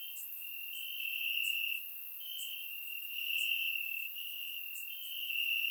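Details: Night chorus of crickets in summer grass, Bulgaria, surround-microphone recording: a shrill, steady high trill pulsing louder roughly once a second, with scattered brief clicks overhead.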